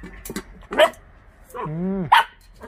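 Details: Russian hunting dog of the Laika breed: a sharp bark, then a drawn-out tonal whine rising and falling, ending in another abrupt bark, over a quiet low background.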